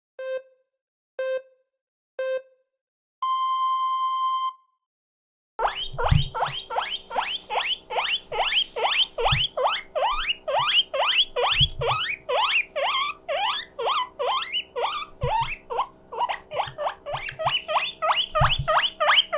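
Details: Mokohei, a pet guinea pig, sets off his loud 'puipui siren' when lonely. Three short electronic beeps and a long steady tone open, then rapid rising squeals repeat about twice a second over a faint steady hum.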